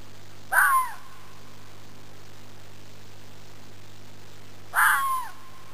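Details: Native Arizona fox giving two typical calls roughly four seconds apart, each a brief raspy scream dropping into a thin whine, with a quiet low hum throughout.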